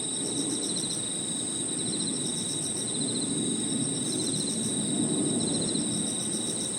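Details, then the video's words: In a park at evening, crickets and other insects trill together: one unbroken high-pitched ringing note plus fast beaded pulses a little lower, while a dull rumbling hum fills the low range. "Harmonious sound of crickets and other insects 저녁 공원 풀벌레 소리"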